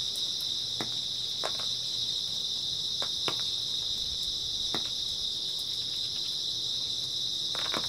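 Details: Grass insects fill an early autumn night with a constant high, shimmering trill, accompanied by a few brief soft taps scattered across the recording.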